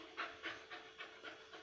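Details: Suzi, a female Labrador Retriever puppy, pants during an obedience training session: soft, breathy huffs repeating about four times a second, six bursts in all, with no other clear sounds.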